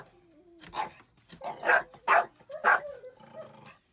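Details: A Jack Russell Terrier raiding a chicken coop gives a quick series of sharp, harsh barks while being called out.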